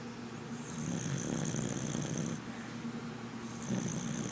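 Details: Red cocker spaniel Sadie asleep, giving a long grating snore with airy whistle on the breath, then a quieter pause before the next one starts.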